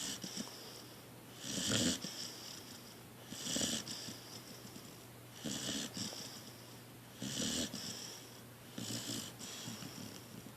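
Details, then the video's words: Debo, a pet dog, snoring while asleep indoors: breathy, rasping snores come in steady bursts about every two seconds, each swelling and fading, with quiet hiss between breaths. "My snoring dog"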